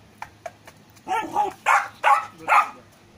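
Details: Rocky, a golden retriever puppy, barking: a run of four or five short, bright yapping barks in quick succession over about a second and a half, preceded by a few faint taps; quiet background.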